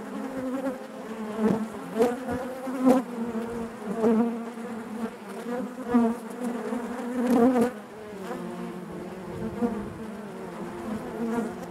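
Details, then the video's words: A honey bee colony hums within its hive, a thick buzzing drone marked by repeated loud swells every second or two, some sharp close passes, then a calmer stretch at the close. "bees therapy hive natural buzzing sound"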